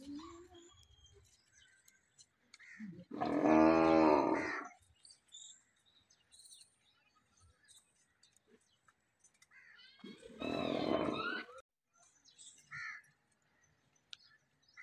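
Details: During mating between a cow and a big bull, two drawn-out, tonal lowing calls sound about seven seconds apart, each near one and a half seconds long, amid scattered faint clicks and quiet background.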